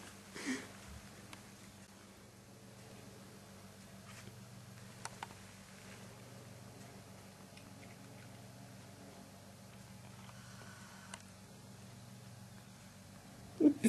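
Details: Pet cats on homegrown catnip, one eating the leaves, with a soft, low, steady purr pulsing throughout in a small room, a few faint clicks and rustles over it.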